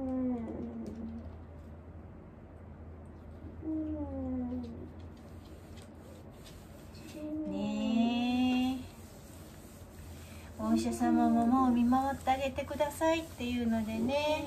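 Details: Elderly dog Wanta in home care, filmed during the morning routine, voicing as he does whenever awake. Drawn-out, wavering moaning whines come in short bouts near the start, around four and eight seconds, then a denser cluster at the end, over a steady low hum.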